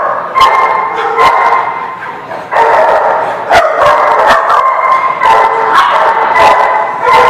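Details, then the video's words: Dogs recorded on 19 August 2016 keep up a dense, loud din of overlapping barks and yips, sharp individual barks punching through a constant layer of howling voices. "The Barking Lot"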